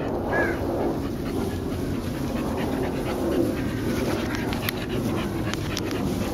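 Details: Playing Olde Boston Bulldogge pups, two brothers and a white sister, 1 year 8 months old, July 2012: a short high whine opens, then loud rough panting and scuffling throughout.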